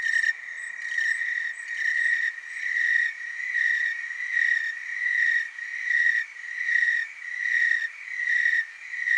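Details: Chorus of tree crickets recorded in Oregon's Willamette Valley, a continuous shrill trill throbbing in even surges roughly every 0.8 seconds, several insects overlapping so the sound never stops.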